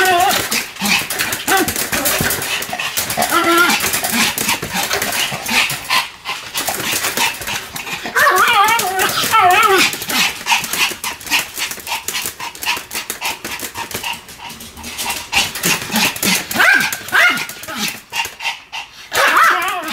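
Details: Pomeranian Sam, whirling at high speed, barks and whimpers continuously; fast, irregular yaps of about three to four per second run through the whole stretch, mixed with whiny rising tones and steady background clatter.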